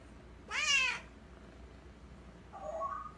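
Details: Domestic cat giving one loud, bright meow that rises then falls over half a second, followed two seconds later by a softer, lower muffled sound, in a quiet room.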